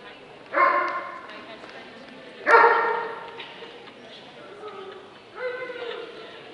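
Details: Dobermann barking in the Limit Dog class of the 2012 Scottish Dobermann Club championship show. Two loud, ringing barks come about two seconds apart, then a softer one, with voices murmuring throughout.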